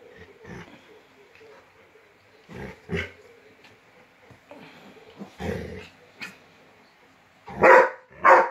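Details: Rottweiler meeting a new puppy gives scattered soft grunting barks, then two loud, rough barks in quick succession near the end, with light shuffling between them.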